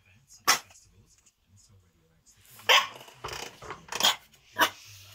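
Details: Miniature Schnauzer puppy barking at nothing: four sharp, loud barks spaced about a second apart, with a woman's voice talking to the dog in between and a low hum underneath.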